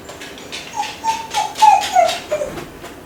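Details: Kai Ken named Ichi crying while left home alone for about fifty minutes; a series of thin, wavering whimpers, short falling and rising tones repeated rapidly over a quiet indoor background.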